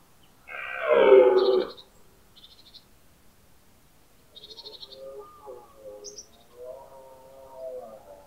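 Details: Wild red deer stag bellowing during the early autumn rut in the Pyrenees, stags answering one another: one loud, harsh, harmonic roar of about a second, then fainter distant bellows and a few high bird chirps in quiet forest.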